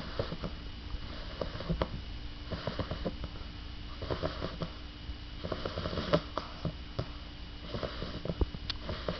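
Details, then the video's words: A very tired female English bulldog puppy snores, with rattling, snuffling breaths in bursts about every two seconds. "English bulldog puppy snoring"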